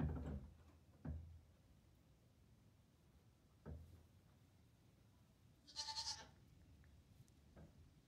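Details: Newborn Nigerian Dwarf goat kid, two days old, in a barn stall alongside barn kittens and its protective mother; a few brief bleats and short noises at irregular spacing over a quiet low barn hum.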